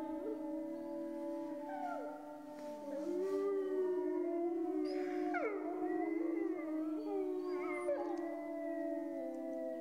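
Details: Several grey wolves howl at once, long level tones layered under higher quavering voices that rise, break and slide downward, the chorus swelling louder midway.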